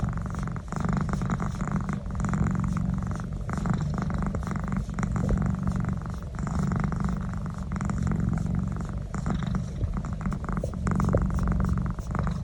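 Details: Domestic cat purring while receiving a neck massage: a steady, low rumbling purr with a fast pulsing texture that runs throughout and stays loud, with small shifts in strength and no other clear sounds.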